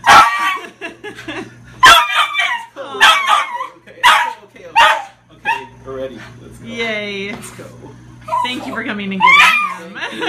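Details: A Shiba Inu, taken in as a stray at a shelter 22 days earlier, gives high, wavering whines and yelps while being reunited with its owner, as people talk excitedly nearby.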